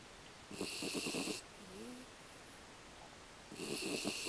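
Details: American Beagle named Aki snoring: a fluttering, rasping inhale lasting under a second, a soft whistling squeak from the nose in the pause, then another rattling snore begins.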